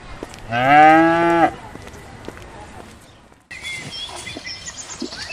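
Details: Countryside cattle grazing in sunlit pasture: a brief, strong moo near the start, level and harmonic-rich, then near silence, and later high bird chirps over outdoor background.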